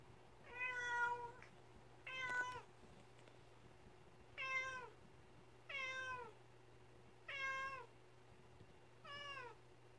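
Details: Pet cat that has brought its cat toy, plaintively calling its owner to come play; six drawn-out, harmonic meows that dip downward at their ends, spaced roughly every one and a half to two seconds, over a faint steady low hum.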